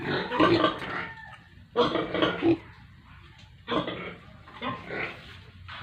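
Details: Pigs at a village pig farm in India with piglets: a few drawn-out, throaty grunts, each lasting about half a second, separated by quiet gaps.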